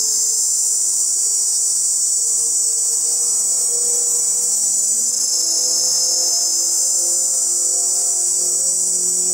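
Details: A chorus of male cicadas fills the air with a continuous, shrill buzzing, a hissing wall of sound that barely wavers, made with the tymbal to attract females; a faint low hum runs underneath.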